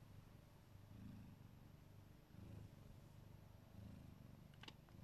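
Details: Neva Masquerade Siberian cat, a mother guarding her babies, purrs in a deep continuous rumble that swells and fades with each breath, roughly once a second, with a faint click near the end.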